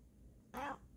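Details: Female Bengal cat yawning indoors, letting out one short arched vocalization of about a quarter second with stacked harmonics rising then falling, between soft human greetings of "hi".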